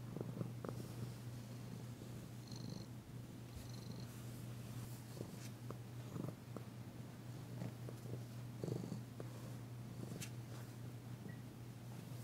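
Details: Female cat Danci purring during a massage on February 9, 2022, the first time she has purred since she arrived; an even low drone with scattered light taps and rustling.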